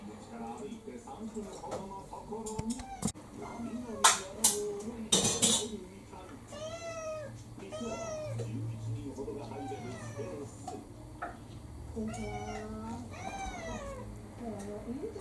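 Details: A ginger tabby mixed-breed cat named Kurumi, around four, keenly pestering for her evening meal indoors: repeated short, bent meows coming roughly every second, with loud clacks early on and faint human talk.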